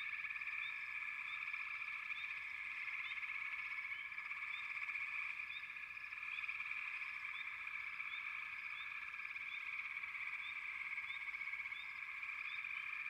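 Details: Many frogs call at once, making an unbroken, shimmering trill. Quick rising chirps repeat over the top across the whole stretch, and the level stays even with only slight swells.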